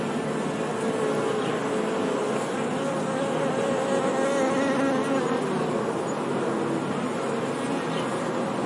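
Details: Honey bees humming, a constant swarm-like drone in which single buzzes rise and fall in pitch above the steady mass, with a brief, slightly higher whine near the middle.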